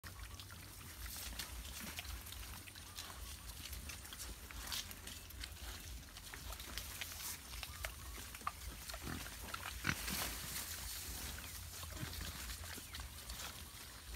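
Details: Wild boars walking in the wild, giving low, rough grunting sounds amid steady rustling and scattered clicks of movement through vegetation, with a constant low rumble underneath.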